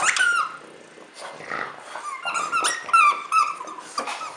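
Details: Christmas-time French Bulldog whining in thin, high, slightly falling squeals, several brief cries in quick, uneven succession over about four seconds, with soft rustling behind.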